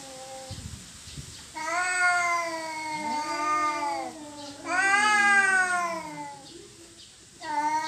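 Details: Domestic cats fighting over territory, in a standoff that ends peacefully: long drawn-out wailing yowls with rich harmonics, rising and falling in pitch, swelling louder in two main bursts with a third starting at the end.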